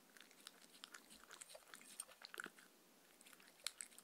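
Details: Mindy, a Shetland Sheepdog, eating dog-friendly treats in a close, quiet recording. Scattered crisp crunches and clicks come in short bursts, with a brief pause in the middle and one sharp crunch near the end.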